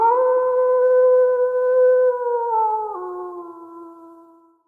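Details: Wolf. A single wolf holds a smooth, mournful howl at an even pitch for nearly three seconds. It then breaks down to a lower note and trails off softly, with no other sounds around it.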